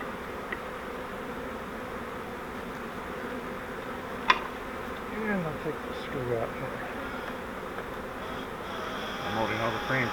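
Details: Honey bees from a caught swarm, moved from a bait hive into a Langstroth hive, keep up a constant low hum while people talk and a sharp knock sounds partway through.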